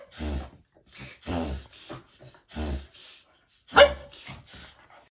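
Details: Upset Pembroke Welsh Corgi huffing: a series of short breathy, snorting bursts about once a second, with one sharper snort near the end.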